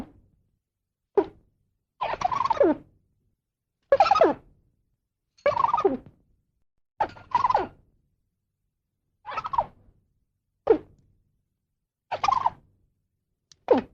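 A squirrel gives harsh, raspy calls in short bursts, repeated every second or two.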